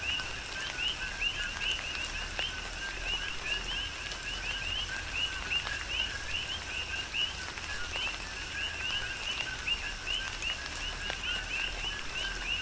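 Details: A thick chorus of coqui frogs during tropical rain on Hawaii's Big Island, with quick upward-sweeping chirps layered over a constant lower note and the continuous patter of rain.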